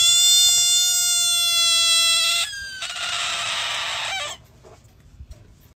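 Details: Frog giving a loud, drawn-out, whining cry: a steady high tone lasting about two and a half seconds, then a harsher, noisier burst of nearly two seconds before it stops, leaving quiet background.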